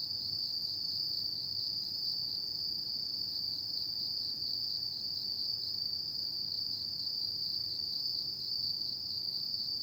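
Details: Steady high ringing of autumn insects after dark, a single sustained trilled tone without breaks, with a gentle low background murmur.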